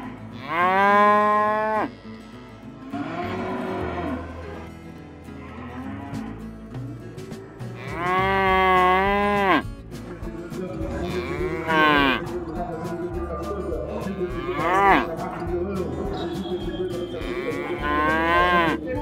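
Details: Oxen, cows and calves at a livestock fair and auction give long, drawn-out moos, several overlapping or close together, some wavering in pitch, over continuous background music.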